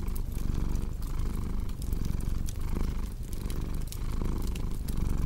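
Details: Cat purr mixed with cozy fireplace crackle: a low, throbbing rumble rising and falling with each breath, overlaid by frequent snapping wood pops.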